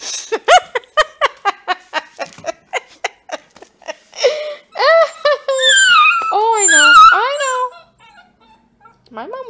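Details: Purebred Bluetick Beagle puppy named Bats, very vocal, howling indoors while being saucy toward his new owner: a quick run of about a dozen short sharp yips, then drawn-out wavering howls that bend up and down, with a short break before a final cry.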